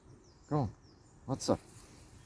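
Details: Outdoors on a walk, a Bengal kitten meows three times: one brief arched call, a pause, then two quick calls close together over a faint outdoor hiss.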